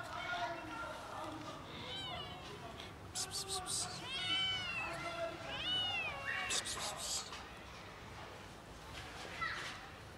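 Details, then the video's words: Cats from a hungry colony, one making unusually weird sounds: a run of loud, arching meows that rise and fall, clustered mid-clip with a few fainter ones after, over a constant background murmur and speech-like noise. "This cat makes weird sounds - cat colony is hungry"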